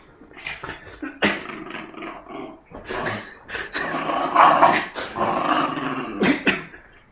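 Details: Jack Russell Terrier snarling during tug of war, an aggressive play bout of broken, gravelly growls with quick snapping accents, building to a sustained loud snarl before fading.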